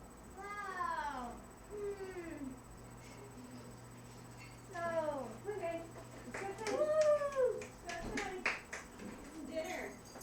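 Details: French Bulldog during crate training, making funny human-like noises: a run of falling, harmonic whines and groans that slide downward, a pause, then a cluster of rising-and-falling yowls, with a faint steady hum in the background.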